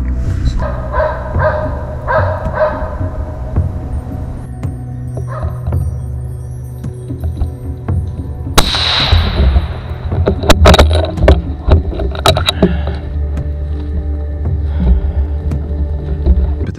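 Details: Norwegian Elkhound named Esti working a moose hunt in Latvian forests, where a moose calf was taken: a short run of four loud, repeated barks opens, then a sharp gunshot, with further cracks and a steady low hum.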